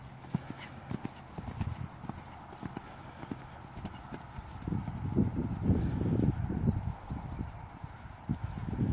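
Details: Dutch Warmblood horse moving on firm ground, hoofbeats thudding about twice a second in an uneven rhythm, growing louder and denser through the middle before easing off, with a faint steady background hum.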